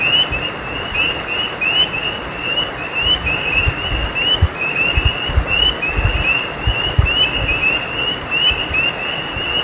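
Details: Frogs calling beside a stream: a steady chain of short, high, chirping notes that rise slightly, repeated several times a second, over a constant rushing water background with occasional low thumps.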